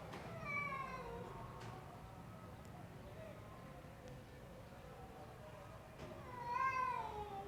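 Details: Two clear meows from an extreme punch-face Persian cat, one near the start and a rising-then-falling one near the end, separated by quiet with a low background hum and faint clicks.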